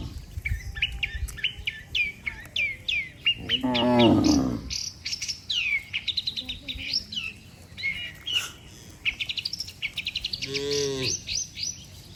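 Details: Dozens of tame cattle walking together back to the barn after a day on pasture; two drawn-out, deep, harmonic moos, one near the middle and one near the end, amid constant busy chirping and twittering of many birds.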